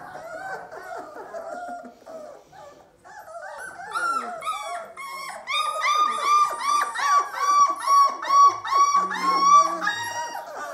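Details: Bernese mountain dog puppy singing: starts with soft wavering whines, then after a pause breaks into a rising series of repeated yelping howls, about two per second, growing louder toward the end, indoors.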